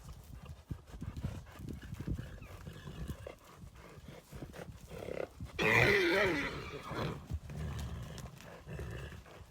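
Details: Russian Heavy Draft horse neighing: a loud, wavering whinny lasting about a second midway through, rising above steady low-pitched hoof clatter and stamping.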